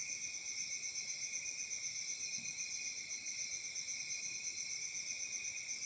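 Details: Many crickets on an African summer night keep up a dense, bright, metallic trill at several high pitches, beating evenly about four times each second with nothing else heard.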